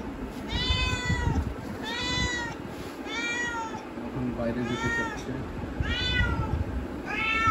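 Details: Domestic cat that wants to go outside, stirred after another cat called beyond the door, repeating long, arched, insistent meows roughly every second and a half, with low room rumble and a person speaking.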